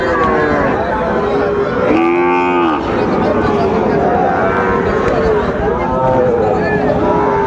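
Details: Sahiwal calves at a Comilla cattle market in Bangladesh give a loud, harmonic moo near the middle, about a second long. Softer lowing follows, all against steady market chatter and haggling over prices.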